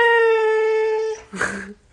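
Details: A Siberian Husky answering its owner in a back-and-forth exchange gives a long, level, drawn-out howl lasting about a second. A short voice-like sound follows after a brief gap, indoors.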